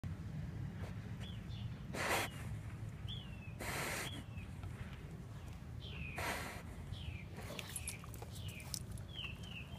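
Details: Basset Hound sniffing and snorting: three loud, breathy bursts of air spaced a couple of seconds apart, over a low outdoor rumble with small birds chirping sharp, rising notes in the background.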